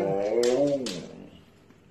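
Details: Pet Siberian Husky indoors, "talking" to its owner: one drawn-out, harmonic, howl-like vocalization that rises and then slides down over about a second, with brief human speech around it.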